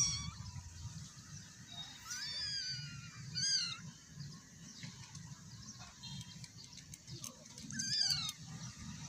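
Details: A scared, hungry cat gives high, wavering meows, a few cries spaced several seconds apart, over a low rumbling background.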